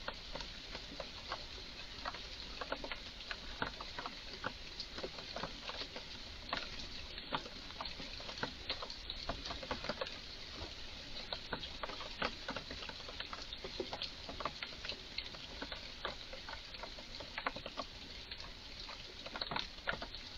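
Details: An agitated Eurasian red squirrel in a garden gives strange, excited calls: a steady stream of sharp, dry clicks and chucks, several each second, over soft background hiss.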